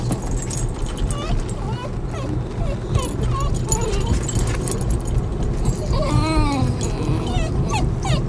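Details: Several Basenjis in a car whine in excited, wavering, rising-and-falling tones, excited because they know they're heading to their favourite nearby park. Engine rumble and a person talking are heard throughout.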